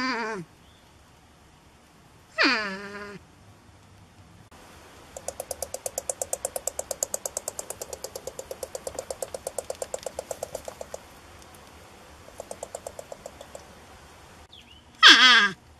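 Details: North American porcupine found in a shed, vocal about its reluctance to leave its cozy quarters: short downward-sliding, harmonic whining cries at the start, middle and end, with a long rapid ticking pulse train between them.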